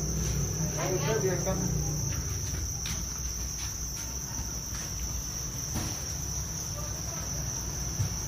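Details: Many Thai crickets raised on a farm keep up a steady shrill whine that never pauses, over a low rumbling background with a few brief chirping bursts early on.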